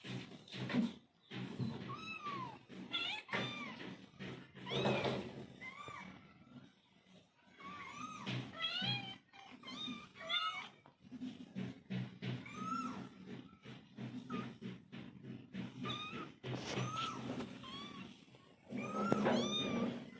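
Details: Mother cat and kittens calling to each other, with repeated short arched meows and higher kitten mews scattered throughout, over a steady low hum and some rustling; several voices overlap in quick succession.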